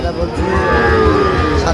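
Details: Sahiwal bull calf at a Comilla cattle market, Bangladesh, 13 November 2025: a short, sustained low moo fills the moment, with people talking and haggling over prices in the background.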